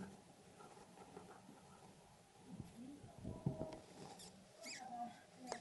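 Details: Newborn dwarf hamster babies, one day old, in an indoor litter; a few faint, brief high-pitched squeaks near the end over steady rustling and handling noise, with a soft low murmur in the background.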